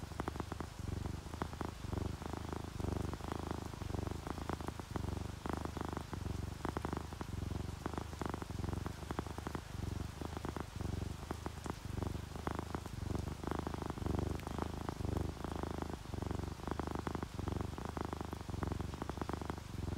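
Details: Continuous purring from relaxed, sleeping domestic cats, a ginger tabby and a calico; a low, buzzing rumble rising and falling in steady breathing cycles, with light rain pattering softly behind.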